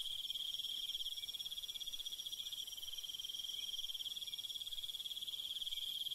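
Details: A night cricket chorus in the countryside: one strong, continuous high trill, evenly pulsed and unbroken throughout, with fainter higher overtones and a light background hiss.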